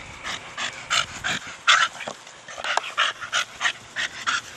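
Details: Four-year-old Staffordshire Bull Terrier Brogan playing with his big hard plastic ball, panting rapidly in steady breathy pulses roughly three per second, with one slightly louder gasp midway.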